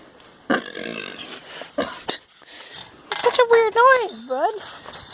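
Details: Spot, a pet pig kept by its owners, making a funny, weird noise when touched: a run of short whiny squeals with wavering, rising and falling pitch, mixed with a person talking to it.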